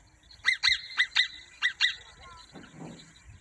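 A marmot gives sharp, shrill screaming calls in quick pairs, each piercing note cut off abruptly.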